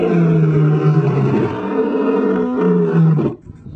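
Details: Male lion giving one sustained, deep, rumbling roar that holds steady for over three seconds before breaking off abruptly, rich in low tones with no other sounds.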